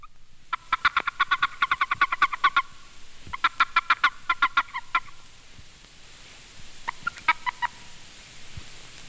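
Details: Boreal toad (Bufo boreas) male gives warning chirps, rapid bursts of short pulsed chirps, when seized by another male; the species has no mating call, and the chirp lets males tell other males from females at breeding sites.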